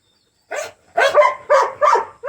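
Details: Dog named June Bug wheezing, recorded 8/25/22: a run of four or five harsh, honking gasps, each about a quarter second long, following closely one after another in an otherwise quiet room.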